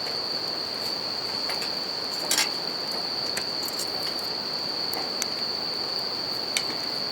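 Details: Bell crickets singing at night beside a campfire and a river: a steady high ringing tone holds unbroken throughout, with sharp crackles of burning wood popping at intervals over a soft rushing background.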